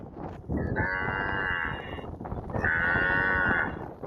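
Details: A cow roaming and grazing in a field gives two long, low moos, each with a steady harmonic tone.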